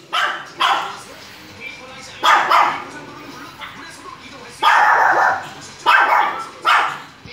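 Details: Two-year-old adult Maltese barking: short, high-pitched yaps come singly and in pairs at irregular gaps, about seven in all, with faint background noise between them.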